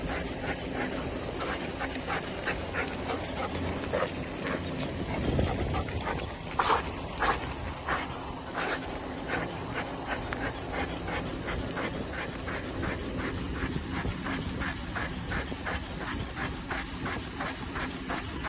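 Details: Excited domestic dog giving short whimpers and yips over a run of quick, regular panting breaths. A brief louder burst comes near the middle, against a steady low background noise.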